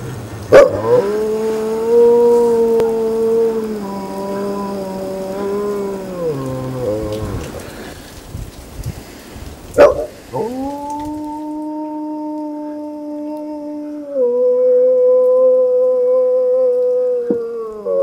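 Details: Maremmano-Abruzzese dog named Alfa singing at Green Cape in Ajara, Georgia: two long sustained howls with steady harmonic tone and slight pitch steps, the first lasting about seven seconds, the second starting near ten seconds, over faint background hiss.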